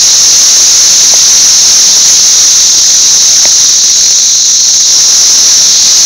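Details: Brood XIX periodical cicadas by the thousands covering a six-story wall in Nashville on May 24, 2011, producing an unbroken, very loud shrill hiss-like drone at high pitch, with a couple of faint clicks beneath.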